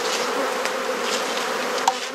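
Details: Honey bees droning around an opened hive while frames are swapped in a Perth, Australia garden; steady, dense buzzing with one sharp tap near the end.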